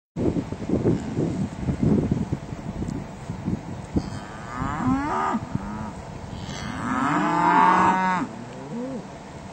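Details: Cattle herd resting at a lunch stop while being trailed to spring pasture; one cow lows with a short moo, then a longer, louder drawn-out moo, over scattered knocks and shuffling from the herd.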